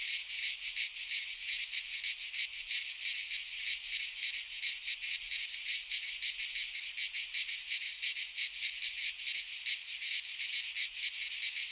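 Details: Cicadas singing in midsummer in a pine forest in Greece: a dense, continuous buzzing chorus high in pitch, rapidly pulsing at about three beats per second with little variation, no other animals or voices.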